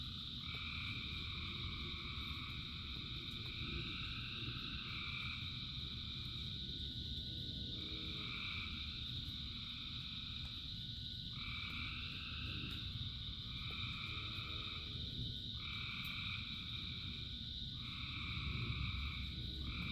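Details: A large frog chorus in the rain. Loud two-toned calls, each about a second long, come in an irregular but frequent series, some overlapping. A constant high trilling drone and heavy rain noise run underneath.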